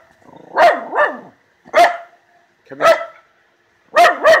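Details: Miniature Schnauzer barking fiercely at something while hunting in the yard; sharp, fairly high barks, often in quick doubled pairs, five bursts over about four seconds with short silent gaps.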